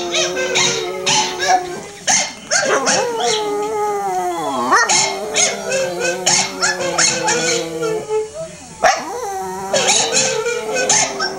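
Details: A female pet dog howls along while watching a recording of herself howling; long wavering harmonic howls overlap in several voices, sliding up and down, broken by sharp clicks and short pauses.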